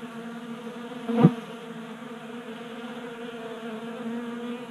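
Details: Honey bees at a tabletop 3D printed feeder in a Colorado garage in unseasonably warm January; a low steady buzz broken by one brief sharp knock or tap near the start.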